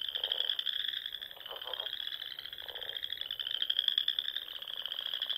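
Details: Frogs calling at dusk in spring on a Nebraska Sandhills pond, a steady shrill trilled chorus of many animals, with a few short, lower pulsed croaks breaking through near the start.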